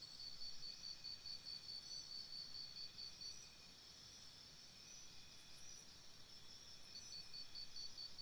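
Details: Night chorus of crickets near a campsite, a continuous high-pitched ringing with short pulsed trills at the start and again near the end, and faint scattered chirps higher up against low rustling noise.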